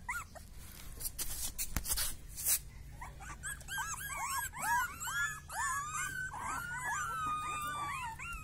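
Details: Rottweiler puppies indoors, starting with loud knocks and rustling, then a chorus of overlapping high, curved whines and squeals repeating rapidly, several voices at once.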